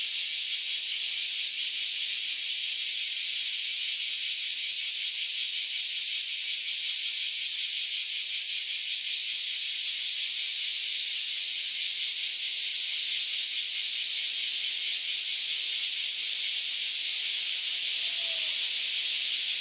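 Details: Massed cicadas, just emerged after about ten years underground, singing before taking flight: an intense, unbroken high-pitched buzz with a quick fine pulsing beat, sustained for the whole stretch.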